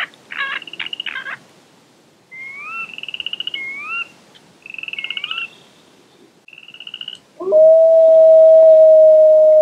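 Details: Chorus frogs calling near Slough Creek on a spring evening in mid May, around 9 pm: bursts of fast-pulsed, slightly rising trills, each under a second, with short pauses between. A long, steady, mournful wolf howl follows near the end.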